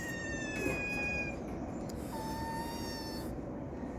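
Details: Domestic cat giving thin, long, level meows, two drawn-out tones in a row, heard against a loud steady background rumble.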